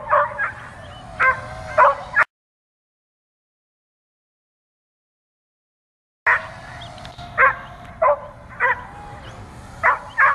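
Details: Dog barking at an overhead drone and trying to jump at it: a quick cluster of barks, then a few seconds of total silence, then another run of irregular barks over a steady motor hum.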